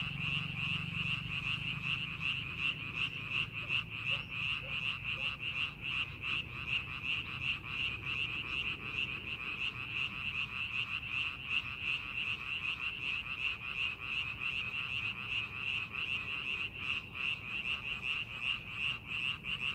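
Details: Frog chorus over paddy fields prepared for farming: continuous rapid croaks, close to three per second, layered from several callers, with a brief low rumble at the start.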